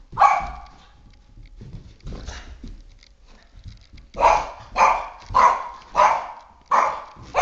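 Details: A 3½-year-old male Boston Terrier barks sharply at a flashlight he is obsessed with and attacks, with a burst of rapid, repeated barks near the end.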